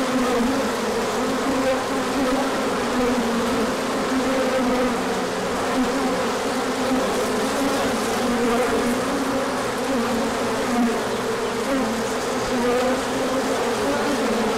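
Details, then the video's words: Large orientation flight of bees on 24 March 2024 when the sun came out after colder weather; a long, even wall of humming wings with overlapping pitches drifting up and down throughout. "Large Orientation Flight."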